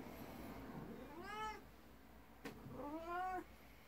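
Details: Domestic cats indoors in the morning: a jealous 12-year-old black cat and a 19-year-old elder cat. Two moderate, tonal meows are spaced about two seconds apart over low room hum, with a brief click between them.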